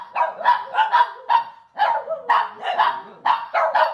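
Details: Three Shih Tzus howl together during a howl-and-bark session, giving short, wavering, yelping bursts about twice a second.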